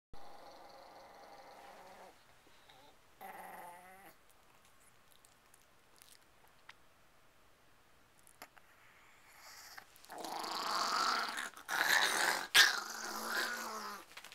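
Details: Chihuahua, freshly bathed, growling while settling down and preparing its bed. Two low, harmonic grumbling growls sound in the first four seconds, then loud rustling and scratching of bedding.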